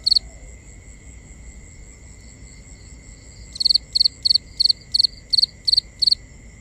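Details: Nighttime cricket, binaural recording: after several seconds of near quiet with a faint steady hum, a run of eight sharp, high chirps starts, about three per second, each made of rapid clustered pulses.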